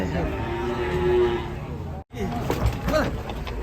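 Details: Enraged cattle in Indonesia being pulled from a rocking truck: a sustained mid-pitched moo in the first half, then a brief cut and a noisy stretch of thumps and shouting people.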